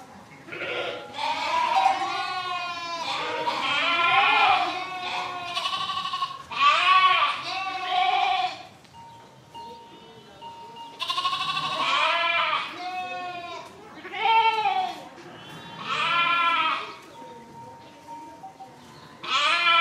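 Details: Repeated sheep bleating, series of loud quavering harmonic calls arriving in bursts every second or two, with brief quiet pauses holding a faint steady tone between groups.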